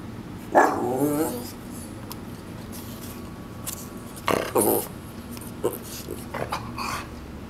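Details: Koa, a Shih Tzu Maltese mix dog in a backyard, warbles in protest at something outside: a wavering, harmonic vocal burst near the start, then shorter yips and grumbles later, over steady low background hum.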